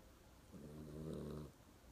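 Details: Pet dog snoring in its sleep, a single low, rasping, harmonic snore about one second long rising slightly in loudness, with a quiet room around it.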